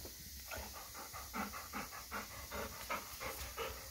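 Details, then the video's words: Excited Golden Retriever panting while waiting for his first meal from an automatic pet feeder; rapid rhythmic breathy pants, roughly two to three per second, over steady background hiss. "Excited Golden Retriever Dog Waiting For First Test Meal"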